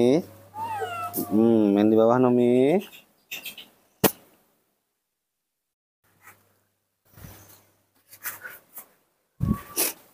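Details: Confused baby monkey playing alone in front-yard dirt lets out a long, loud, quavering wail for about three seconds, then falls silent while a woman speaks softly and calls to it.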